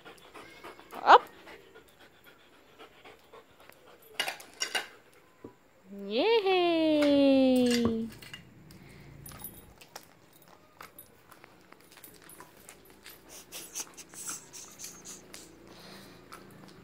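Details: Belgian Malinois straining to reach a dental stick hung on a swing, giving a brief high whimper, then a drawn-out falling whine of about two seconds, followed by panting and scattered clatter.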